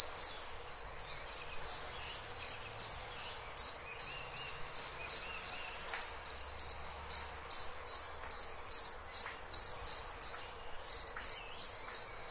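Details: Cricket chirping in nature: high, clean pulsed chirps repeated steadily about two and a half times per second, roughly thirty in a row, over a quiet background with faint distant clicks.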